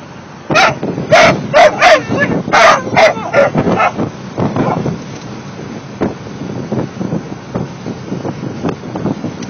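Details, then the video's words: Mastiff pups, 16 weeks old, join in a chorus of bright, wavering yelps and short howls packed into the opening seconds, then trail off into fainter, scattered whimpers over a steady low background hum. "16 week old mastiff pups singing"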